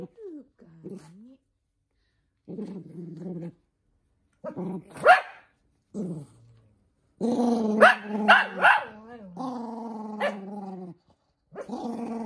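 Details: Minato, a short-tempered toy poodle, protests having socks fitted: low wavering growls build into loud snapping barks and snarls, then sustained grumbling growls, a voice briefly heard nearby.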